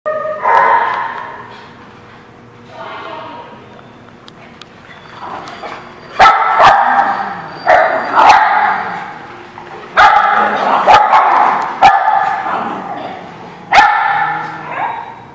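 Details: Dogs barking at a place called the Barking Lot, recorded on 16 June 2017: harsh, loud barks in irregular bursts and quick runs, about every two to four seconds, with a pause and quieter voices near the start.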